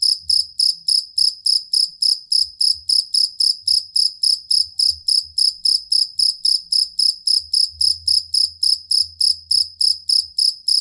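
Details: Songbird-tutoring cricket, possibly a two-spotted or fighting cricket. Its sharp, high chirp comes in a fast, regular series of around 40 pulses in under eleven seconds, with faint low background murmur.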